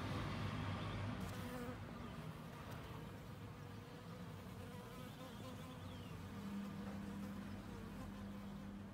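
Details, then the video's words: Bees collecting nectar, heard as a steady, low droning hum of many wingbeats that continues throughout, with faint rustling in the background. "api che raccolgono il nettare"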